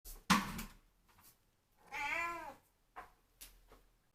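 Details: Indoor cat meowing to ask for the tap to be turned on so it can drink running water; one drawn-out meow amid clicks and bumps in a small room.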